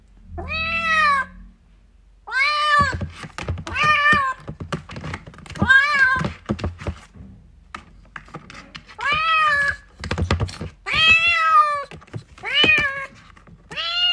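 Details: Young cats fighting and playing meow loudly in a rapid series of about eight arched calls, mixed with thumps and knocks from the scuffle, some calls overlapping low bumping noises.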